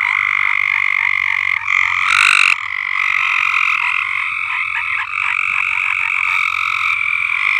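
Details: Loud frog chorus rising from an uncleaned above-ground pool on a farm, steady high trilling from many callers with a brief brighter burst partway through, no pauses.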